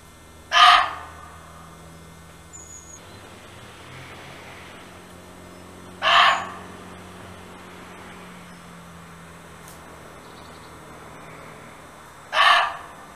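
A muntjac gives loud, harsh single barks, spaced about six seconds apart.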